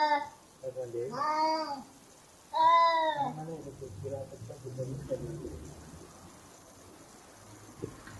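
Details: Domestic cats yowling during a fight between two cats: two loud, harmonic, arching wails in quick succession, each about a second long, followed by quieter low murmuring sounds and faint background noise.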